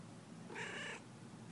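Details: Pet cat indoors, up high near the lights, gives a single short, faint meow lasting about half a second against quiet room noise.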